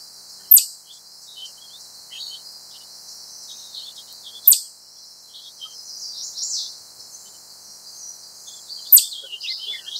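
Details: Wild chipmunk giving three sharp, sudden chip calls spaced about four seconds apart. Each is a loud, high, clicking burst. Soft twittering from small birds runs throughout the background.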